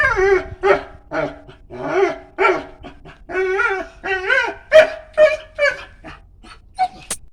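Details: Dog vocalizing in a long run of tonal, wavering whines and yips, each rising and falling in pitch, coming in bursts roughly twice a second with short gaps, ending in a sharp high yelp.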